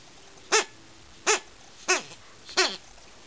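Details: Akita puppy trying to kill a toy bee: four bright, harmonic-rich yapping barks, each brief and slightly falling, spaced roughly every 0.7 seconds against a quiet indoor background.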